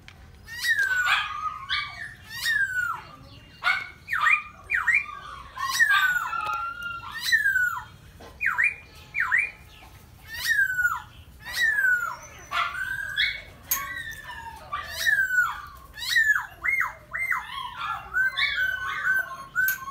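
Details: Red pink-nosed Miniature Pinscher during mating whines continuously in high, squeaky, downward-sliding cries repeated in quick clusters, with brief pauses, for the whole stretch.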